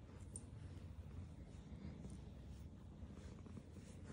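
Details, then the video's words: Black female cat purring while she eats food, a steady low rumbling drone that runs unbroken through the whole stretch, with faint scattered clicks above it. "black cat while she purrs and eats food"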